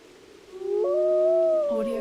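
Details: A wolf howling in windy weather gives a long, smooth howl that rises, holds steady, then slides downward at the end.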